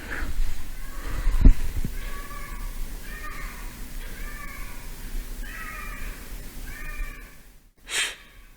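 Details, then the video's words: A feral cat cries outside at around 9 pm in a series of drawn-out, wavering meows, somewhat like a baby crying. "들 고양이가 울고 있어요 [음악]"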